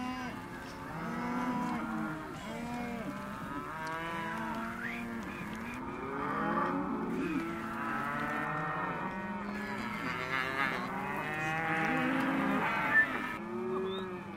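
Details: Hereford and white-faced calves penned as a sale lot, a crowd of overlapping harmonic moos and bawls rising and falling continuously throughout, several animals calling at once.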